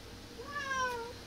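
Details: Cat gazing toward a window, wanting to climb up but too scared, calling its owner: one drawn-out meow lasting under a second, starting low and rising slightly before sliding gently downward, with a rich stack of harmonics.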